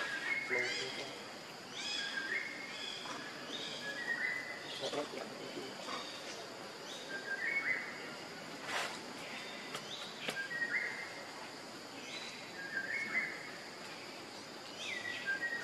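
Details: Hungry baby monkey Leo crying to beg its mother for milk: short high whines, each dipping slightly, repeated about every one to two seconds against a steady background hiss and occasional clicks.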